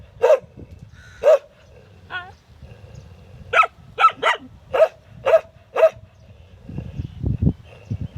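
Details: Dog barking: sharp, loud single barks, some in quick pairs, about eight over eight seconds, with a short whine-like call between them, over a low rumbling background noise.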